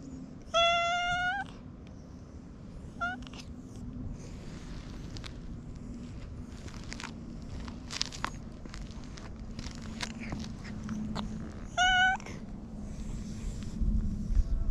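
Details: Stray domestic cat meowing sweetly as it is petted; a long meow at the start, a brief chirp, then rustling and handling noises with a soft low hum before a final clear meow.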